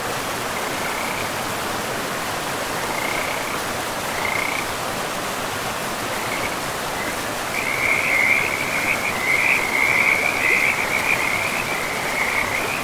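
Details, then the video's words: By a river in an untouched, moss-covered forest, frogs give scattered high trills at first, then a denser, louder burst of rapid wavering notes in the second half, all over the continuous hiss of running water. "River and Frogs sleep sounds"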